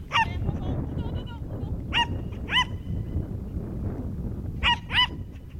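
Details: Young Schipperke barking during a herding training course in September 2010: a few sharp, high barks, single or paired and spaced a second or more apart, over rumbling low outdoor noise.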